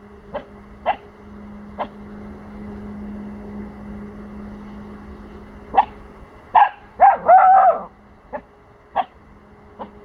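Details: A 4-month-old male Pomsky puppy, unsure of sounds from the neighbours' house, guards his territory with sharp, high yappy barks and a few squeaky whines. Pomsky.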